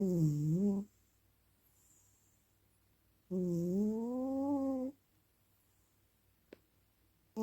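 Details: Male pet cat snoring loudly indoors while asleep and dreaming; two drawn-out, nasal, tonal snores about three seconds apart, each dipping then rising in pitch, with near silence between and a faint click near the end.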